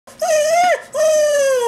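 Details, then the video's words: Coco, a family Whippet-Lurcher cross dog indoors, cries to be taken for a walk: two long tonal whines, the first gently rising then dropping, the second steady and slowly falling, with a brief pause between. "COCO THE WHIPPET CRYING FOR A WALK"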